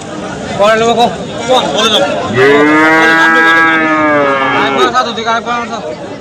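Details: Cattle held for sale at the Hasukhali market on a Friday in 2025. One prolonged, even moo of about two and a half seconds rises out of the murmur of buyers and sellers, with scattered voices before and after.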